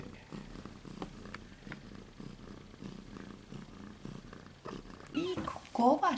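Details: Two silver Siberian kitten girls, 2 and 3 weeks of age, purr in a soft, low, regular rumble for most of the recording, then a human voice speaks over the last second.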